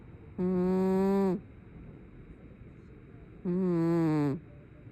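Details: Two loud, groaning snores from a dozing brown tabby cat, each lasting about a second. They are deep, harmonic and buzzy, the second sagging slightly in pitch, with a hushed pause between them.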